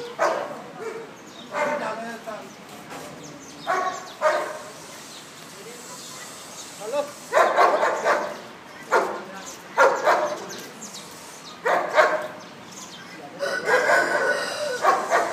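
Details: A huge Bull Terrier barks in short bursts scattered over fifteen seconds, some spaced a second or two apart, with quiet gaps between and a faint hum of background noise.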